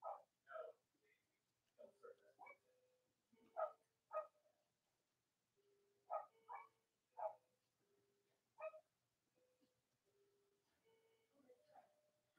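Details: Cavalier King Charles Spaniel puppies of mothers Robin and Myra, indoors on a chilly late-October Monday morning in the US, let out soft scattered yips and squeaks mixed with faint thin whines at low volume.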